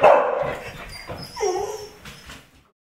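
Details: Pet dog barking as someone approaches the door; one sharp bark opens, then softer whining tones rise and fade over about two seconds before silence.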